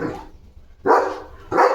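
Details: Leo, a pet German Shepherd, playful at home while carrying a slipper in his mouth: a faint sound at the start, then two loud, sharp barks about two-thirds of a second apart.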